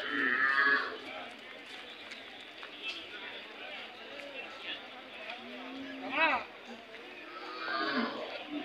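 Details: Hallikar cattle at the weekly Monday cattle fair market at KG temple, Gubbi taluk, Tumkur district, Karnataka, 27 May 2024; brief lowing moos, a clear one late on, amid crowd chatter, voices and market bustle.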